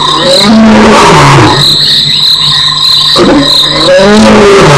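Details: A lion, probably the one roaring though unconfirmed, gives deep, moaning roars that slide downward in pitch, with crickets trilling steadily behind and an animal walking nearby; recorded at Nkorho on 21 November 2008.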